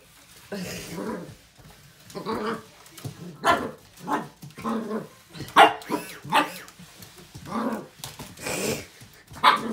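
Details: A young corgi puppy, in March 2020, gives sharp, high yapping barks in irregular bursts with some growly notes, protesting against a Swiffer WetJet floor mop she strongly dislikes.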